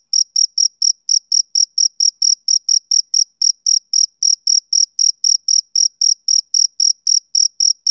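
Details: Steady chirping from a male cricket on a summer evening. Bright, high-pitched pulses follow each other about four times a second in an even rhythm against silence.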